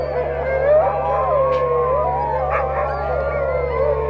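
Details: Several sled dogs in Ilulissat, Greenland, howl together in a long, steady chorus of sliding, overlapping voices rising and falling over a faint low hum.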